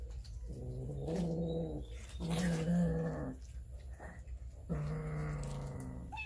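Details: Domestic cats and kittens eating raw fish, filmed on a Samsung Galaxy S9 Plus; three low, rumbling growls of about a second each with buzzy harmonics, separated by short pauses, against a low indoor hum.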